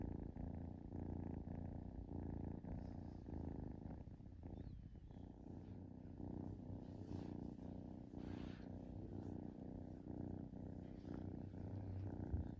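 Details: Relaxing kitten giving a long, even purr, low throaty rumble repeating with each inhale and exhale, with slight rustling partway through.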